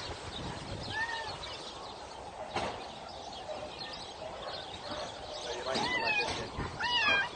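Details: Cats meowing: one short arched meow near the start, then a cluster of several higher, wavering meows in the final two seconds, over a steady hiss of background noise.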